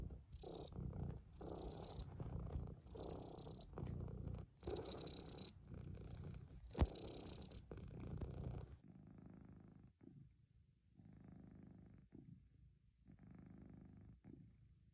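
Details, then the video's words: Purring domestic cat, a loud pulsing low rumble in repeated rounds for about nine seconds, one sharp click midway, then a much softer, quieter purr continuing to the end. "Cats purring."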